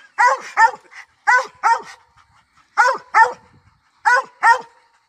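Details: Treeing Walker Coonhound baying on a hunt: loud, ringing barks delivered in close pairs, four pairs over five seconds with brief pauses between them.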